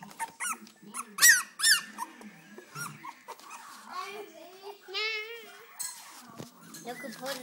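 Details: Four-week-old Cocker Spaniel puppies cry with high, wavering squeaks and whines while a person talks nearby.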